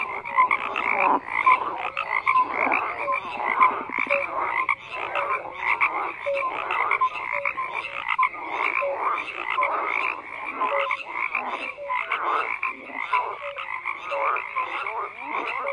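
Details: Many frogs croak at once, a steady wall of raspy pulsed calls dotted with short tonal notes, volume pulsing continuously with no pause.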